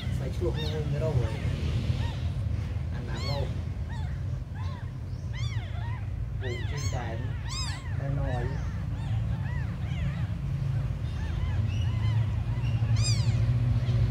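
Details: Tiny abandoned kittens mewing in a rapid, overlapping chorus of high, arched cries, several voices calling at once, over a steady low rumble of background noise.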